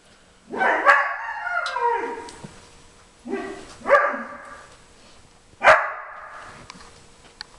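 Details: Background calls from Jimmer, a 4.5-month-old Briard keen to join a German Shepherd's first nosework session with treats under tennis balls: three whiny, yodelling bark-cries, the first long and sliding, the later ones shorter and sharper.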